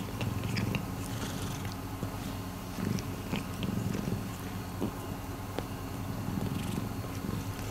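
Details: Continuous low purring from Miiko, a rescue cat, a soft rhythmic rumble held throughout with light rustling and tapping noises above.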